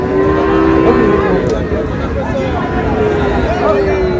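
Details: Friesian and crossbred bull calves, about 8-9 months old, at Raniganj cattle market on 10 August; a long, low, steady moo opens the clip and a second drawn-out moo closes it, amid bargaining voices, crowd chatter and passing vehicles.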